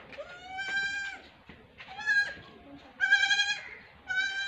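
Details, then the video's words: Young goat kid playing, giving a series of four loud, wavering, harmonic bleats about a second apart, each sliding slightly in pitch, with quiet background noise between calls. "cutest goat baby playing"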